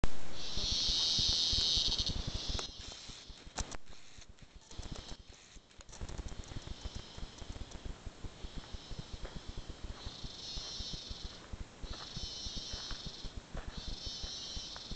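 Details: Cicadas in the rainforest of Arenal National Park give loud, high, sizzling buzzes in bursts lasting a second or two, over a constant low rumble.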